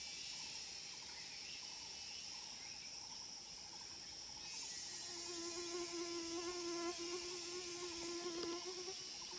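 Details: Wild cicada chorus at Phu Foi Lom in Udon Thani province: a steady shrill, hissing drone that brightens halfway through, while a lower sustained hum and a faint rapid warbling trill join beneath it.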